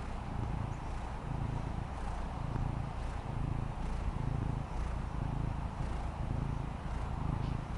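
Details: Low rhythmic purring from Fendi, a female Maine Coon kitten lying relaxed on the patio; the deep rumble rises and falls in even beats about once a second over quiet outdoor hiss.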